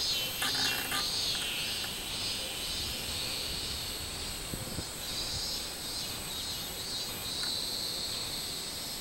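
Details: Recorded 24 July 2016, a robust cicada gives strident, pulsing buzzes, loudest at the start and again near the end, amid a dense chorus of cicadas and a few sharp clicks.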